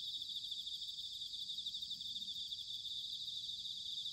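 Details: Bell crickets singing in autumn at Sanuki, Chiba, Japan: a steady, dense high-pitched shimmering trill of many insects, with faint low rumble beneath.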